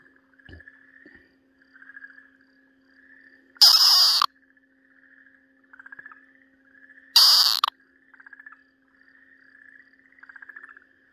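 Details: Two harsh, rasping screams about three and a half seconds apart from an Okinawa green tree frog as a Ryukyu green snake bites it, 4 March 2023, separated by soft, repeated chirping trills and a brief low knock.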